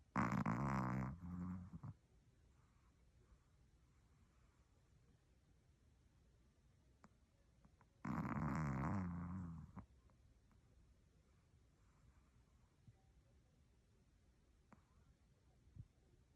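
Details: A sleeping dog snoring indoors, two loud rasping snores about eight seconds apart, each lasting nearly two seconds with a deep throaty rattle, quiet room between them.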